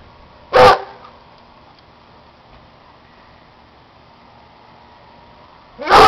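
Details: Young male Plott and German Shorthaired Pointer mix dog, about two years old and 65 pounds, playing around; two single loud barks about five seconds apart with quiet in between.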